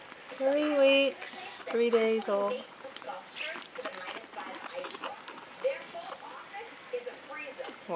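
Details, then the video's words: Japanese Chin puppy, three weeks and two days old, indoors making tribble-like noises: two loud, steady, high squeaky tones, each about half a second, then softer chirps, with television voices and a person talking in the background. "Japanese Chin Puppy makes funny tribble sounds noises"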